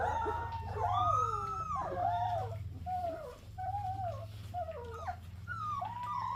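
A golden retriever puppy gives a run of thin, wavering howls that slide up and bend down again, each lasting about a second. A steady low hum runs underneath throughout.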